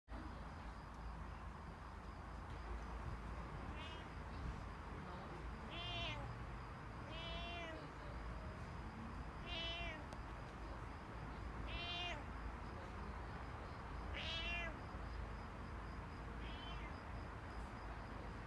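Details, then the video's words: Cat meowing in a backyard: about seven drawn-out, wavering meows spaced every one to two seconds, over a steady low hum and outdoor background noise. "Meowing Cat in My Backyard"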